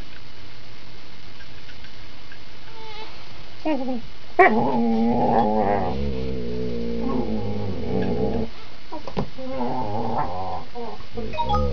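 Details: Critically ill dog growling while playing a tug game with a younger female companion dog, relaxed and not aggressive: low rumbling growls with harmonic, broken bursts from about four seconds on, brief whimper-like yips between.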